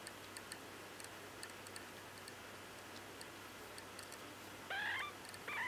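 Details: Week-old Bengal kitten, eyes not yet open, seeking a nipple while nursing; two brief high rising mews near the end after a stretch of faint ticking and room hiss.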